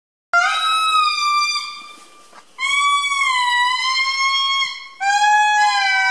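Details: An indri, the largest lemur, in Andasibe-Mantadia National Park, Madagascar, gives long, eerie wailing notes, clear and horn-like, each held steady before sliding gently downward.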